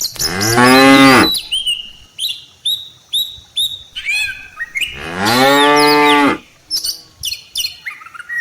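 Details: Tame cattle in a herd that includes cows and calves, heading home to the farm barn from rice-field pasture, give two long, loud, harmonic moos, each about a second. Short chirping bird calls fill the gaps between them.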